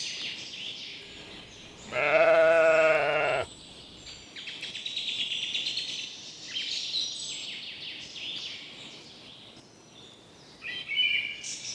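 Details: On a spring meadow, a grazing sheep lets out a single long, loud, shaky bleat early on, followed by bursts of birdsong and chirping.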